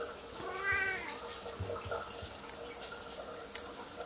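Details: Pet Siamese cat meowing in a bathroom before the owner's shower, upset at the closed door; one short rising-falling meow early on, then running water and small knocks and rustles.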